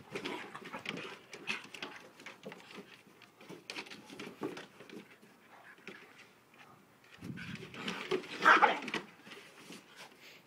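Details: A fight between an Alaskan Malamute and a Malamute cross dog: scrappy snarls and a few whimpering notes, quieter in the middle, then a sharp, loud snarling flare near the end.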